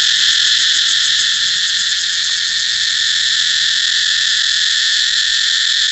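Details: Steady cicada drone, a loud unbroken high-pitched buzz with layered harmonic bands, barely varying over six seconds.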